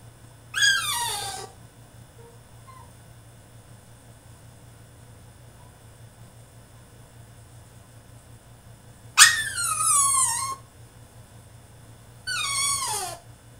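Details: French Bulldog throwing a tantrum in his cage indoors: three high, descending whining cries with rich harmonics, the first near the start, then two more after a long quiet gap, over a low steady hum.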